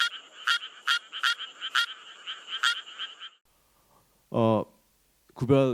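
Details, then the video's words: Endangered Suwon treefrog in Korea, which sings climbing onto rice seedlings in paddies, gives slower, higher-pitched, metallic notes in a steady series, followed by a man speaking. "Now, let’s listen to the song of Suwon treefrogs. It’s a bit slower and more high-pitched."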